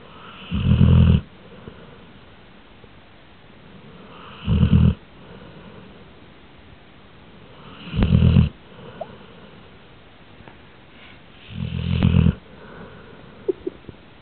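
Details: Steady snoring from Sammy Sutton the dog: four deep, rattling snores spaced about three and a half seconds apart, with a few faint clicks between breaths.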